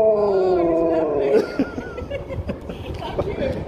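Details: Sherpa the Husky greeting strangers for biscuits: a brief, smooth howl-like tone gliding downward for just over a second, followed by people talking and street bustle.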